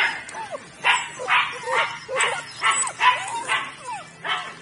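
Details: Weimaraner puppies from a litter of nine (5 males, 4 females) born 23 June 2017 yelp and whimper together in short, high, squeaky cries, several voices overlapping about twice a second, some bending up or down in pitch.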